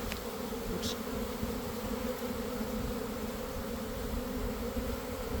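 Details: Inside a developing honey bee swarm from a garden hive, around one in the afternoon after a cold, damp week: an even, unbroken low droning buzz throughout, otherwise clean.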